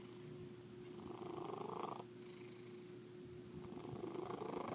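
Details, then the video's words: White house cat with a strange purr: a steady low purring hum carrying a faint tonal whine, with one louder nasal burst in the middle and another building at the end. "kitty makes funny noises"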